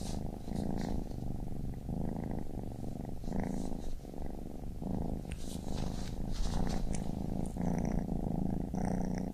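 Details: Baby kitten purring steadily: a low, continuous rumble that swells and eases in a regular rhythm with each breath, roughly once a second, with faint scattered crackles and soft ticking higher up in the second half.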